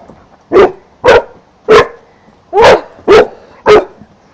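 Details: Four-month-old St. Bernard puppy sitting outside, barking at a giant green caterpillar; six loud, short, sharp barks in uneven bursts about half a second apart, quiet in between.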